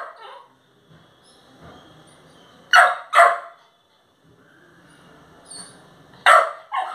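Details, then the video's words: Angry Labrador puppy giving sharp, high yapping barks in pairs separated by a few seconds, with low growling and faint background noise between the bursts. "Aggressive Labrador puppy"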